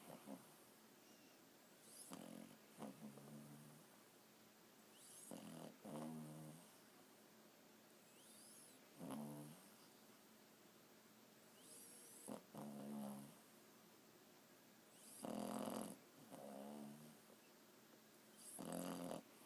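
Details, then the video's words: Sleeping Boston Terrier puppy, four months old, gives quiet snores: rough, rattling buzzy breaths repeated every one to three seconds, some stuttering in quick pairs, a few louder near the end, steady room hiss behind. "Snoring Boston Terrier puppy"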